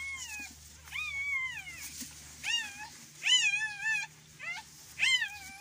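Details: Belgian Malinois, recorded indoors during birthing: five loud, high, arched whining cries, each rising then falling, about one every second, over a low steady hum.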